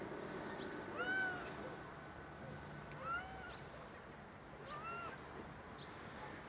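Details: Stray street cat giving three short, faint, arched meows spaced about two seconds apart, each rising then falling, over a steady hiss of background noise.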